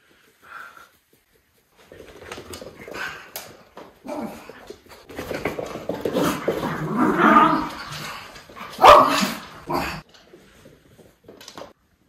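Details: Two Miniature Schnauzer brothers playing indoors, running, chasing and jumping, recorded December 20, 2021. One sounds mean but is just being vocal. Rough, growly barks come in uneven bursts amid scrabbling and thumps, peaking in one loud bark near the end.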